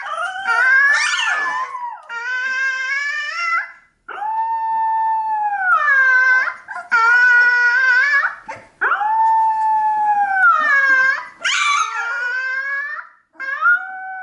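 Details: A 15-day-old Alaskan Malamute puppy howls in long, high, wavering notes with brief pauses between.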